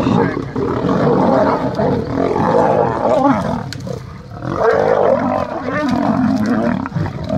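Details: Male lions fighting, giving harsh, snarling roars and growls that run almost without pause for the whole stretch, with a short lull near the middle before the loud rasping resumes.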